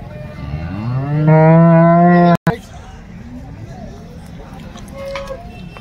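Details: Cattle at the Loni cattle market in Maharashtra, 5 February 2025: one loud low moo rising then held steady for about a second, cut off sharply, followed by quieter market murmur and faint voices.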